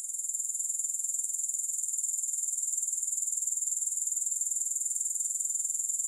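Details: Continuous high-pitched pulsing chirr of grasshoppers, evenly repeated about four pulses per second throughout, with no music or other sounds, from a long sleep and relaxation recording.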